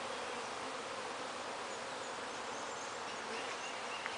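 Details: Steady massed hum from honey bees gathered in Bedford with no nest present, a continuous even buzz filling the clip without pause, one brief click near the end.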